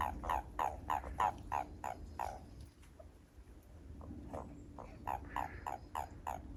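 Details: Behind a house, where the frogs are growing noisy, a Japanese toad gives a steady series of short buzzy croaks. The croaks pause briefly midway, then resume with more callers overlapping.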